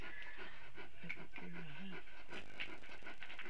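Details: Puppy panting in quick, breathy puffs that repeat steadily over a low rumbling background, with a faint voiced sound midway.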